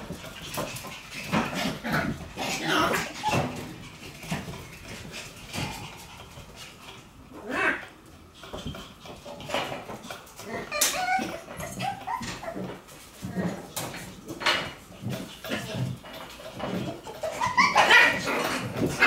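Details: Shiba Inu puppies playing energetically, giving short whimpers and high yips in irregular rapid bursts, with scuffling, thumps and human voices mixed throughout.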